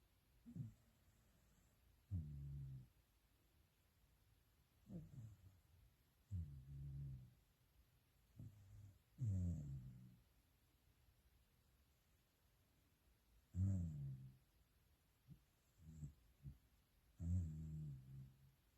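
A sleeping corgi snores in low, rumbling bursts that come every few seconds.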